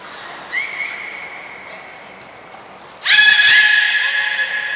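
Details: At the Port of Nagoya Public Aquarium on 13 April 2019, the beluga Nana, in training, gives a thin steady whistle. A brief high note follows, then a loud, rich, buzzy harmonic squeal.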